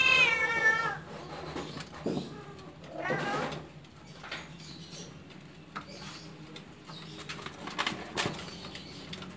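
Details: Home-bred Persian kittens, described as cute and spoiled, give a high, thin meow with stacked harmonics in the first second. About two seconds later comes a shorter, wavering meow. Soft knocks and faint voices sound in a quiet room.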